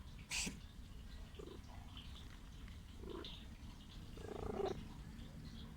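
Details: A sick stray female cat seeking affection purrs in a steady low rumble. A sharp sneeze-like burst comes early on, and soft brief tonal murmurs are heard now and then.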